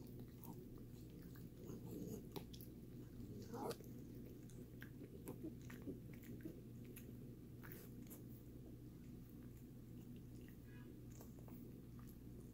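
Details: Indoors, the dog Sammie gnaws a Greenies dental chew; irregular crisp crunches and clicks come every second or so, louder around two to four seconds, over a steady electrical-sounding hum.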